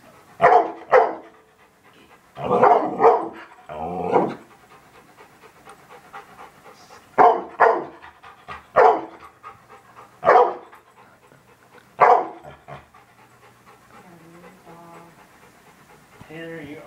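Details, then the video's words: Dog barking at a TV: loud, abrupt barks in pairs and short clusters spaced a second or two apart, quieter background between them and faint sounds near the end. "Dog barking at tv"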